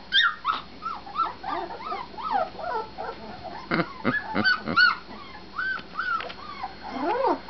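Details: Several husky puppies giving a steady stream of high, wavering whimpers and yips, each note bending up and then down, repeated about three times a second, with a few sharper squeaks over a soft background hiss.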